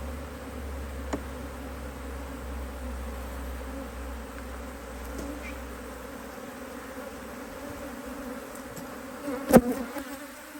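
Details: Honey bees at an Australian Hive IQ hive opened in mid-Autumn 2023 to add a box of empty frames. A soft, even buzz over a low rumble that fades out, with a sudden loud close pass near the end.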